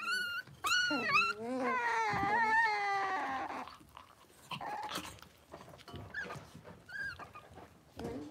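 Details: Six-week-old blenheim Cavalier King Charles Spaniel puppies, a litter of five born on New Year's, in their indoor puppy pen: loud wavering whines and whimpers with rising and falling pitch, then quieter scattered yelps and rustling.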